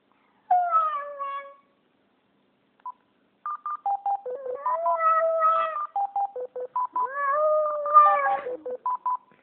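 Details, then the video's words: Indoors, a pet Japanese Spitz howls along with a phone: three long, wavering howls, the first short and falling, the later ones swelling and sliding in pitch, broken up by regular electronic keypad beeps between and under them. "Japanese Spitz Howl"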